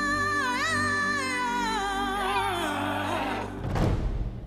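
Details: Orchestral music with a wavering vocal-like melody, ending in a low rumbling thud. No animal voice stands out.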